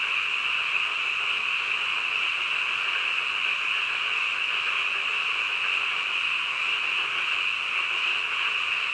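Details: Night-time frogs croaking together in a thick, continuous high-pitched trill that never breaks, with a faint hiss underneath.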